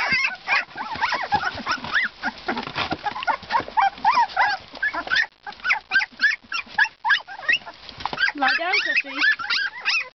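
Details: A litter of two-week-old Siberian Husky pups keeps up rapid, busy high-pitched whimpering and squeaking, with many short overlapping cries and a brief pause near the middle.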